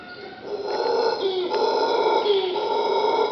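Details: Howler monkeys right outside a bedroom at Punta Uva on Costa Rica's Caribbean coast, on 2 August before breakfast, give a deep, drawn-out droning howl that rises and falls in long, roaring waves.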